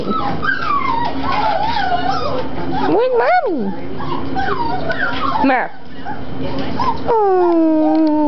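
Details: Cockapoo puppies, seven weeks old, playing: high wavering whines and yelps that swoop up and down, with a long falling whine near the end, over constant background chatter and voices.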